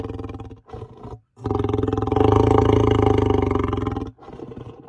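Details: Lion roaring in its natural habitat: a deep, harmonic, pulsing roar swelling for about three seconds after two short lead-in grunts, then trailing off into a softer grunt.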